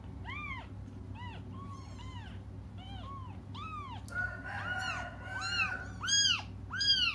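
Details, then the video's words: Cats cry out for their absent mother with repeated bent, high meows, spaced and even at first, then growing louder, shriller and more crowded with overlapping voices toward the end, over a low background hum. "until their mom comes just stop crying"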